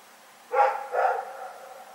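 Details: Two closely spaced barks from Rex, a dog, at night on February 27, 2018, the second slightly softer, followed by a lingering echo in otherwise quiet surroundings.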